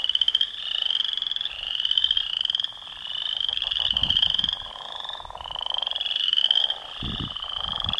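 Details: Leopard frogs in a pond, fighting over territory, give long grating, pulsed croaks in overlapping runs, buzzy and rattling, rising and falling in loudness, with brief low splashes near the end.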